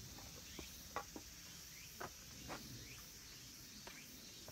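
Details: A steady, shrill cicada drone fills a mountain temple ground at Kabusanji, Takatsuki, Japan, as summer ends, with a few soft knocks and brief rustles.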